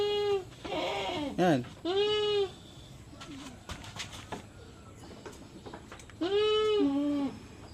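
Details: Farm goats in the Philippines bleat while being given iron injections: loud, wavering nasal bleats with rich harmonics. Three come in the first two and a half seconds and a longer pair near the end, with faint voices between.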